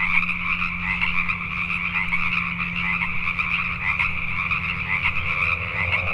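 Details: Many Pacific tree frogs croak at night in Richmond, British Columbia, Canada; the overlapping calls merge into an unbroken, pulsing wall of sound, with a steady low hum audible beneath.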